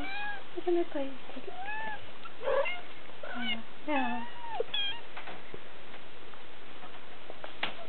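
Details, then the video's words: Three-week-old Siberian kittens, July 2008, mewing indoors: a run of short high arching mews, several overlapping in quick succession, with a person speaking nearby. "Siberian kittens (3) July 2008"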